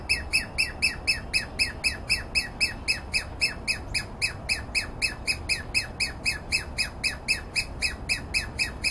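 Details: Alarmed Douglas squirrel calling near a yard, tolerant of a close approach; fast, very regular series of harsh chattering chips, roughly four each second, continuing throughout without pause.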